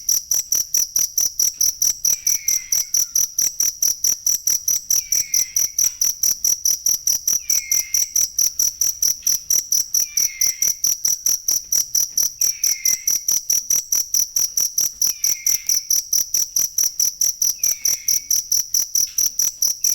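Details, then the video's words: For songbird training, a cricket chirps without pause: crisp, high, evenly spaced pulses near two per second, with a faint falling whistle repeating about every two and a half seconds underneath. "ASLI SUARA JANGKRIK BUAT MASTERAN BURUNG"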